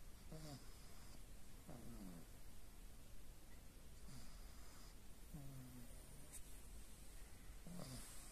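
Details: Aya, a pet pug, snores in her sleep with quicker, softer snuffles: five short, falling nasal whistles over eight seconds, fainter than the room's low hum and a few light clicks.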